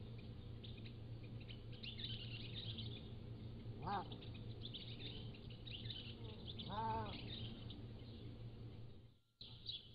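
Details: Pallas's cat kittens, three to seven weeks old, at a wild cat zoo, captured mostly by a motion-activated trail camera: two arched, harmonic mewing calls near four and seven seconds, over constant high bird chatter and a low steady hum.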